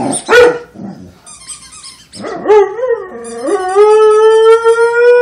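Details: Rhodesian Ridgeback dog singing: a short bark-like yelp, then a wavering howl that dips and climbs before settling into a steady, sustained, rich-toned note held for about two seconds.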